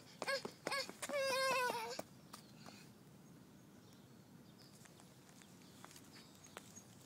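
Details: Domestic cat meeting a small child: a drawn-out, slightly wavering meow lasting about a second follows two short voiced sounds, then a quiet outdoor background with faint clicks.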